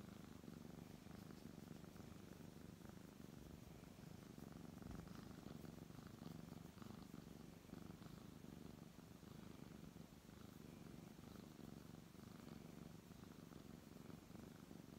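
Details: Indoors, a brown tabby cat being petted gives a long, unbroken low purr, rhythmic and throbbing, rising and easing slightly with each breath amid faint handling noise.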